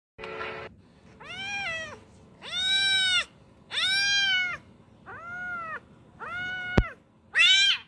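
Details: Kitten carried away by water, meowing in a series of seven drawn-out, harmonic-rich cries, each arching up then falling, spaced roughly a second apart, over faint low background rumble.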